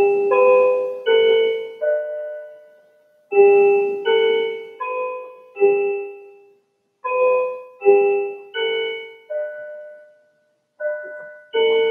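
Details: Gentle piano notes play in short phrases separated by brief silences, with no animal sound heard.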